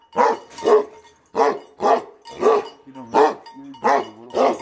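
Tibetan Mastiffs give deep, aggressive barks in paired bursts, with a low growl between them.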